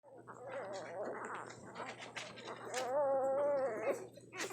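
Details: Tiny hungry newborn puppies nursing, making soft squeaky whines and gurgling suckling noises, with one longer wavering whimper near the end over a faint steady hum.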